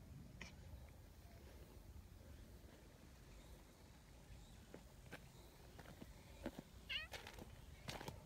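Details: Community cats outdoors as a pale tabby runs over to comfort a big black cat that had just been scolded. One short, high meow comes near the end, surrounded by rustling, footsteps and scattered clicking sounds.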